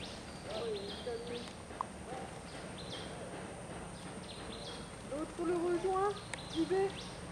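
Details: Long-tailed macaques in Bali, filmed during eye-covering play, give soft, wavering tonal calls, some rising, over a steady low hum.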